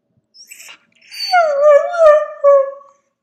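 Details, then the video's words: Dog howl, from a compilation: a brief soft yip, then a sustained, wavering howl that slowly slides downward over about two seconds and fades out. "Dogs Howling Compilation"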